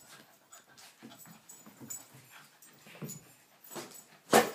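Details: A Cavachon-Yorkshire terrier mix chilling out breathes in soft, rapid pants with faint whimpers, ending in one sharp louder burst.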